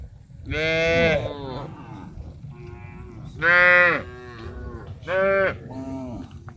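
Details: Tame cows walking in a large herd toward a green grass field to eat, mooing in three drawn-out, harmonic-rich calls, the first long and the later two shorter, over a low rumbling background.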